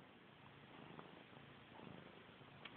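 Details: Short, close purr from house cat Missy Grey, known for chasing her tail: a grainy, evenly pulsed low rumble with small bumps in loudness and a faint tick at the very end.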